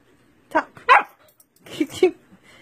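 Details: Siberian Husky being taught basic training commands by its owner; two pairs of sharp barks, the pairs about a second apart, in a quiet room between Spanish speech.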